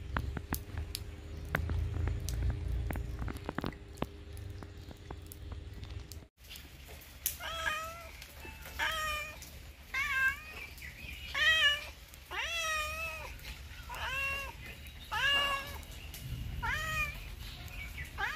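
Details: Domestic cat meowing repeatedly, a run of about eight harmonic, wavering meows roughly one per second after a quiet start with scattered clicks and low hum.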